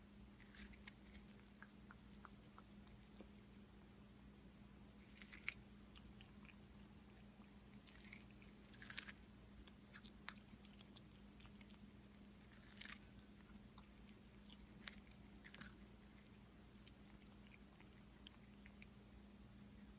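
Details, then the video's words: Quiet indoor recording of a cat eating. Sparse, scattered crunches and bites arrive every second or two, with a few louder snaps, over a faint steady electrical hum. "CATS EATING FOOD"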